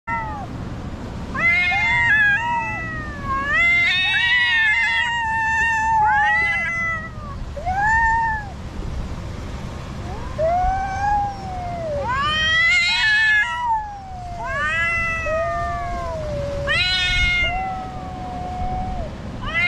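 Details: Cats fighting on rocks: a string of loud, wavering yowls and drawn-out meows, many rising then falling, overlapping in bursts with short pauses between them. A low rumble of traffic runs underneath.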